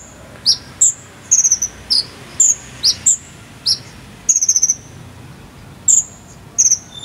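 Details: Cricket chirps played to teach a konin bird its song: piercing short notes, some dipping downward, mixed with rattling bursts of four or five rapid pulses, irregularly spaced above a quiet hissing background.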